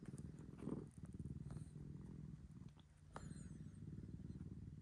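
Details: Rescued cat Maro, happily clingy in its own upstairs room, purrs in a low, breath-paced rumble broken by short rustling and handling noises, with a quieter pause near the third second.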